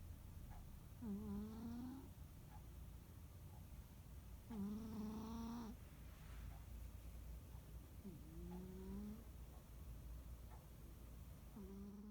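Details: Snoring of a rescued house cat napping on a quiet holiday afternoon. Four nasal, harmonic snores rise gently in pitch on each breath, roughly every three to four seconds, with faint soft breathing between them and a low room hum.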